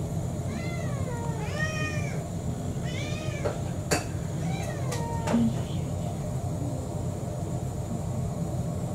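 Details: Begging for dinner, Kurumi the orange tabby mixed-breed cat, about four years old, gives a series of falling, arched meows in the first half, joined by sharp clicks and taps, then quieter hum as she stops.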